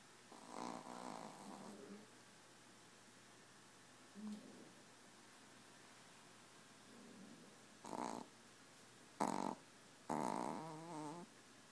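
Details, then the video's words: A tiny four-pound Yorkshire Terrier asleep and snoring: soft, low, rasping snores drawn out over the first two seconds, then short ones near four and seven seconds, followed by three louder, harsher bursts toward the end. "Snoring Yorkie"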